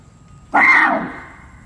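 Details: Barasingha kept at Seoul Grand Park Zoo in South Korea, filmed 6 December 2021, gives one abrupt, strained bray of about half a second that fades gradually. The background is quiet.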